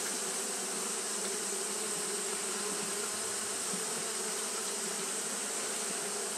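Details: Japanese honey bees fanning at the hive on a hot day, a dense, steady droning hum of many wings with a band of tone near the low-middle, unbroken throughout and overlaid by broad hiss.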